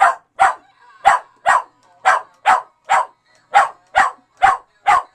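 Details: West Highland White Terrier dog barking at a singing fake wall-mounted fish; sharp barks repeated about twice a second in a steady run of eleven, with brief silent gaps between.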